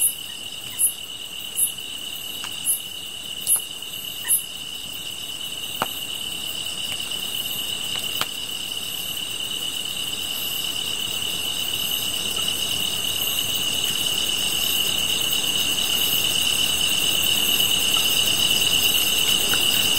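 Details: Grass insects singing beside a fire: a steady high, thin trill runs throughout, overlaid by sharper pulsed chirps that are clearest in the first five seconds. Scattered crackling clicks from the fire are heard, and the chorus swells slightly toward the end.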